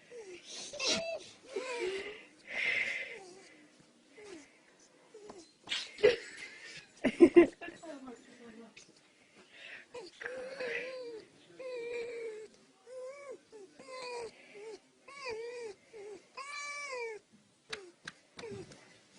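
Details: A young female fox, being stroked, gives a run of high, wavering whimpers and squeaky chirps, with people talking softly early on.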